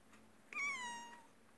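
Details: Domestic cat meowing indoors: a single drawn-out meow lasting under a second, starting bright and sliding slowly downward in pitch, with rich harmonics over a quiet room background.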